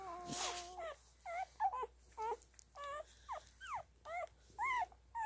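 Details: Newborn Standard Poodle puppies nursing give thin, high squeaks and whimpers, one after another, each bending up or down.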